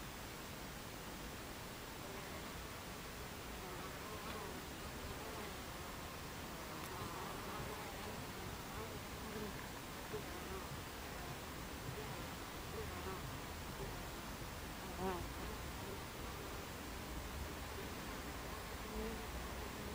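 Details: Hum of Buckfast bee traffic at the entrance of a beehive, mid-afternoon on 26 July 2013; an even, rough buzzing drone with occasional brief louder passes of single bees close to the hive.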